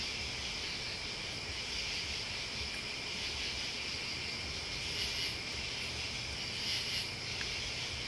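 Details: A steady high buzzing chorus of crickets and bugs fills the night air, with brief, very high sizzling bursts near the end over a faint low background hum.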